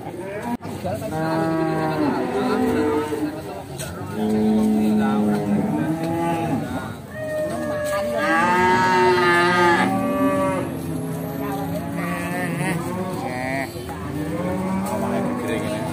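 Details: Pegon cattle at Bekonang livestock market in Sukoharjo, Indonesia, including a nine-month-old Pegon calf brought for sale; several overlapping drawn-out moos, some wavering and rising, amid market bustle and background music.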